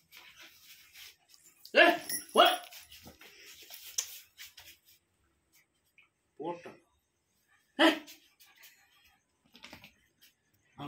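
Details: Golden Retriever puppy named Appu playing with dad indoors: sharp, short barks in a pair near the start, then single yelps spaced a few seconds apart, with people talking in a small room.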